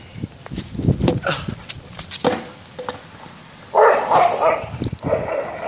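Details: A bull terrier–schnauzer mix playing with a tyre gives short, irregular barks and gruff huffs in quick, uneven bursts.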